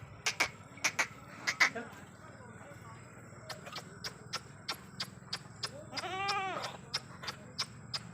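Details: Sirohi goat kids on a farm in Ajmer, one wavering, harmonic bleat near the end among repeated sharp clicks and knocks and a low background hum.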